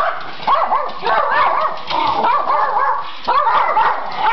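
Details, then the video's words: Schipperke dogs howling together when asked to sing, wavering yowling tones rising and falling in overlapping voices with short breaks. "Schipperkees Sing!"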